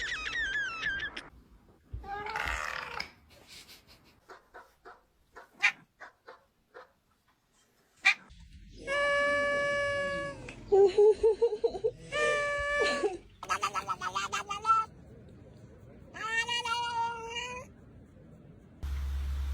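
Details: Domestic cat making odd vocal noises. Short chirps and clicks are followed by several held, tonal meows, some rising and some bending, with quiet gaps between them.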